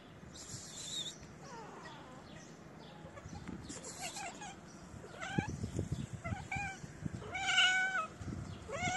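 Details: Feral street cats, one shy female that came to sniff the camera and her companion, meowing outdoors: a series of short rising-falling harmonic meows spaced irregularly, growing louder and more frequent toward the end, with faint background noise.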